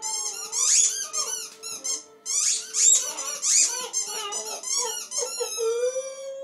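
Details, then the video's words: Poppy, a dog, howling in a small room: rapid, piercing squeaky yelps in two bursts, then softer whines ending in a short rising howl. "Poppy howling"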